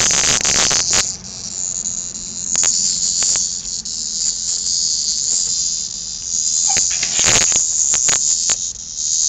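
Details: Very loud cicada hunted down and played with by kittens, giving a harsh, high, continuous buzz, broken by brief gaps and scuffling clicks as the kittens handle it.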